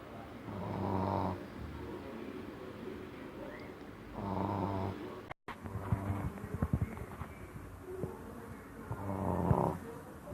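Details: Amora, a female Shih Tzu, snoring while asleep: slow rhythmic low rasping breaths about every four seconds, each a buzzy rumbling swell, with a brief cut midway and a few faint clicks.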